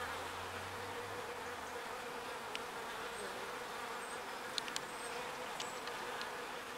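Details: Small bees foraging pollen and carrying it back to the hive: a steady, dense buzzing hum with a low drone band, sustained throughout, with a few faint clicks and ticks above.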